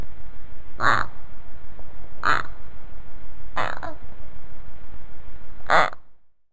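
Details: Hamster squeaking: four short, harsh squeaks spaced about one to one and a half seconds apart over a steady low background hiss.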